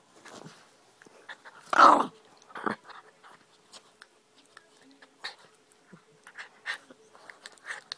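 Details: Dogs playing, a German shorthaired pointer puppy and a Jack Russell terrier: one loud, harsh growling bark, then a shorter gruff burst, followed by scattered soft yips, scuffles and clicks of play.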